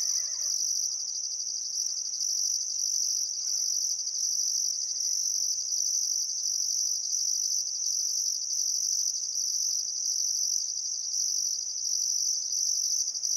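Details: Crickets trilling continuously at sunset on a still summer afternoon by the Barcoo River, Welford National Park, Outback Queensland, Australia: a dense high buzz with repeated pulsing beats, and a faint bird call at the very start.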